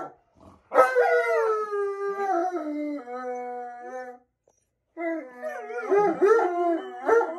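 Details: An Alaskan Malamute starts with a sharp cry that glides into a long, slowly falling howl, then goes silent, then gives a fresh burst of wavering, overlapping howls with quick yelping inflections.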